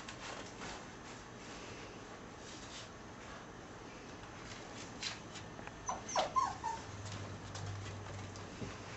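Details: Six-week-old puppies from a litter of ten, sired by an American Staffordshire terrier out of a Border collie and German shorthaired pointer mother, give brief thin high whimpers in the second half over quiet room hiss, soft taps and a low hum.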